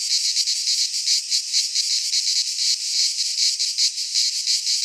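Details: Cicadas of the Greek fauna sing in a pine forest in midsummer, a loud sizzling buzz swelling and fading in soft waves about every half second, constant throughout.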